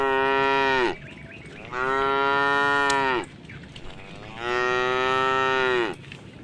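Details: Three sustained, harmonic moos from a tame cow passing through a puddle on a road at a forest's edge. Each lowing call lasts over a second, with a short quiet pause before the next.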